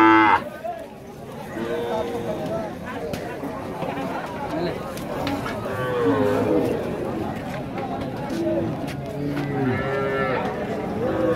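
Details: Calves for sale at a cow market in Rajshahi city, Bangladesh, 2018: several low, drawn-out moos with rising and falling tones rise from a busy scene full of people talking and crowd chatter.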